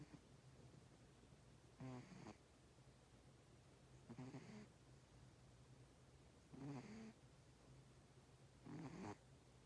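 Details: Cat asleep and snoring, each breath a short raspy buzz with a low rumbling base, repeating about every two and a half seconds against a constant low background hum.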